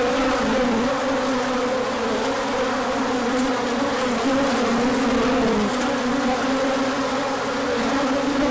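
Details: Bees out in large numbers for an orientation flight on a sunny March day after cooler weather; constant loud humming drone, individual passes slightly dipping in pitch, no other sounds.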